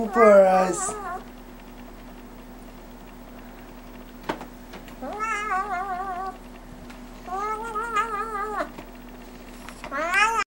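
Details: A silver Bengal kitten, coaxed by a person to sing, gives long, wavering, tuneful meows in a drawn-out series as the person speaks.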